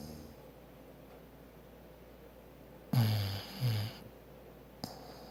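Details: Bulldog named Maggie asleep, giving two short, low, throaty snores close together after a stretch of quiet breathing, then a brief sharp click near the end.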